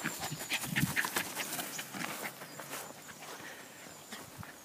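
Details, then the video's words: Jack Russell Terrier at play with a soccer ball, breathing in fast, uneven pants, about three or four a second, over steady background hiss and scuffling. "Jack Russell Soccer Terrier"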